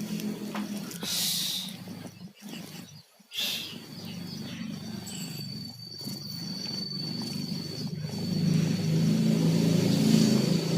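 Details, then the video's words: Two pet cats, Tayen and Lilu, sleeping while sick with colds, snore in a low, rough, continuous rumble with brief pauses near two and three seconds, growing slightly louder toward the end. "KUCING PILEK, TIDURNYA NGOROK"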